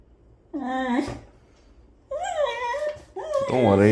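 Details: Whiskey, a male beagle indoors, reacts to a monkey sitting on the balcony, seeming scared while also wagging his tail; three drawn-out, tonal whining cries, the first wavering, the middle dipping, the last rising and swelling louder.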